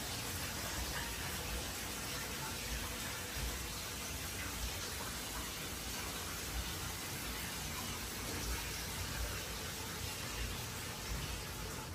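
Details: Constant broadband hiss like running water or wind dominates throughout, with only a faint murmur beneath and no animal sound.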